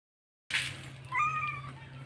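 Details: White kitten calling to its mother because it wants milk: a brief soft noise burst, then one short, clear mewing call that holds steady and dips slightly at the end, over a low constant hum.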